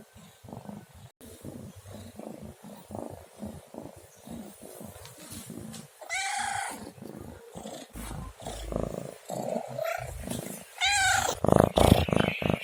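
A domestic cat gives a few drawn-out meows over a steady, rumbling purr.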